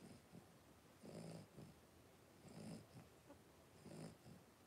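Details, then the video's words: Three-week-old blenheim Cavalier King Charles Spaniel puppies, a litter of five born on New Year's, wrestling and playing in their pen; soft whiny grunts and squeals come in bursts about every second and a half over low rustling. "3-Week-Old Cavalier Puppies Wrestle and Play Live"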